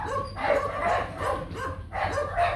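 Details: Nano, a young male Rottweiler stud from the Gervi kennel and son of Bruno, being walked slowly outside; a pair of harsh bursts of barking and yelping about a second and a half apart over a steady low hum.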